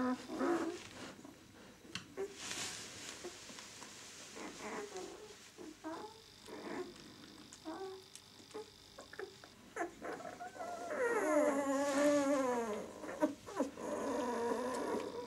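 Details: White German Shepherd puppies, six days old, from the "of White Night" B litter. Quiet rustling and faint squeaks give way near the end to a longer burst of wavering, sliding whines.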